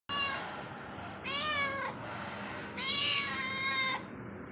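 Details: Domestic cat roaming inside a home gives three drawn-out, harmonic meows, the first long and falling, the next two rising then sliding down, over a steady low indoor hiss.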